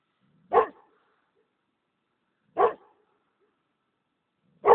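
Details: Kangal mix dog barking: single deep, short woofs repeated about every two seconds, three in all, with silence between.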